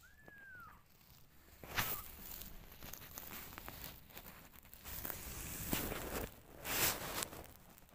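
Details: Hungry kittens searching for their mother and cuddling her: one high, thin mew that rises then slides down in an arch lasting under a second, followed by rustling, scratching and shuffling sounds.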